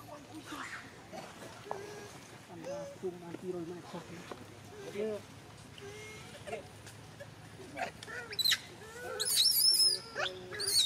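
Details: Baby monkey Aria at Angkor Wat Park showing angry emotion: after several seconds of low voices and soft rising calls, loud piercing high-pitched screams burst out repeatedly near the end, overlapping one another.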